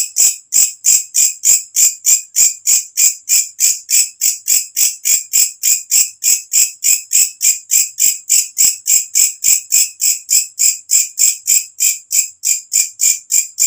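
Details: Shrill katydid call heard at nightfall, a natural recording meant to teach songbirds; continuous train of buzzy high-pitched pulses, about three each second, regular and unchanging.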